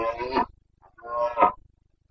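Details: Carpathian stag during the boncănit, the autumn breeding season in the forests of Bucovina, September 2022: two brief, rich, moaning roars about a second apart, each swelling then cut off.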